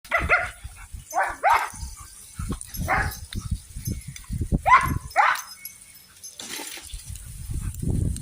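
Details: Belgian Malinois dog given water in the heat so it does not overheat; short, sharp yelping barks in quick bursts, about six across eight seconds, with low thumping and splashing handling noise between them.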